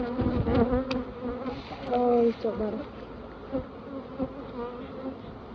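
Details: Bees on a Khmer bee farm make a steady low droning buzz with a layered hum, while men talk loudly over it throughout.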